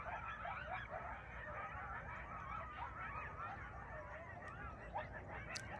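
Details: Coyotes out early in the evening near a homestead where goats and chickens are kept. A distant chorus of overlapping, wavering high yips and thin howls runs through the whole stretch over a steady background hiss.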